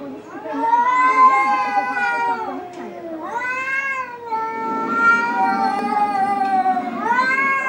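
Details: Two cats arguing, trading long wailing yowls that rise and fall in drawn-out, harmonic-rich cries, several overlapping phrases over about eight seconds.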